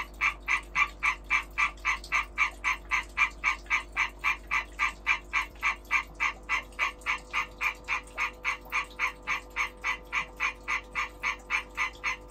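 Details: Calling behaviour of a breeding European green tree frog: rapid, regular croaking pulses repeated about four times a second, harsh and nasal in tone, steady in loudness throughout.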